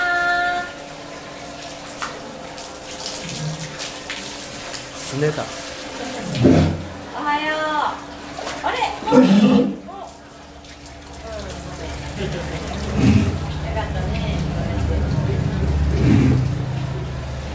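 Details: A walrus at Ise Sea Paradise aquarium, sulking before feeding and begging staff for the water hose, gives low, throaty grunts and wavering, harmonic moans between splashing water.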